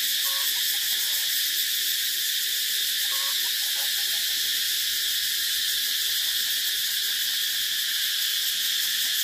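Cicadas buzz in a steady, high, hissing drone that never lets up.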